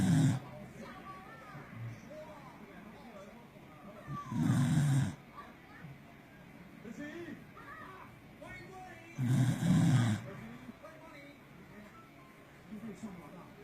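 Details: Sleeping Corgi snoring very loudly, as it has since it was a puppy: deep, rumbling low snores swell up about every five seconds, with quiet breathing and a soft background murmur in between.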